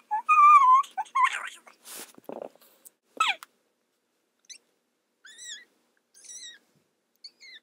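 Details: Claude the kitten calling indoors: a clear, high mewing cry at the start, then thin, brief squeaky mews spaced about a second apart with short breathy noises in between and silence around them.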